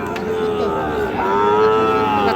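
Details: Sahiwal bull calves at Raniganj cattle market, 25 June 2026: a long, steady low moo with stacked harmonics that lifts slightly toward the end, over a constant murmur of market voices.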